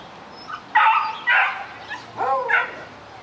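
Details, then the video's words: A puppy eager to reach a rabbit gives two loud, rough barks and then a higher, wavering yelp that rises and falls. "Puppy barking at the rabbit"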